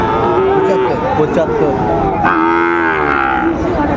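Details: Lowing of Sahiwal bull calves at a livestock market on 13 February 2025, as a Kushtia farmer shops: a steady drawn-out moo, then a louder rising-falling bellow after two seconds, against a noisy background of other cattle and faint talk.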